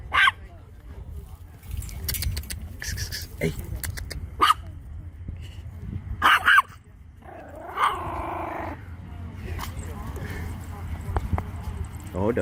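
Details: Chihuahua barking in short, sharp yaps scattered across about twelve seconds, with a drawn-out wavering whine in the middle and people talking almost throughout.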